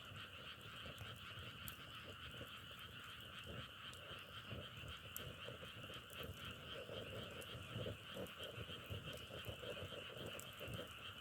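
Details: Nature sound of a frog chorus compared to burning firewood: many frogs calling at once in a continuous trilling hum, with fine pulsing throughout and occasional crisp crackles.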